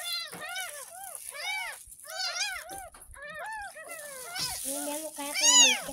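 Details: A ten-day-old kitten found in a ditch outside a home protests its first bath with a steady run of piercing, arching mews, several per second in bursts, with quiet handling sounds and brief voices.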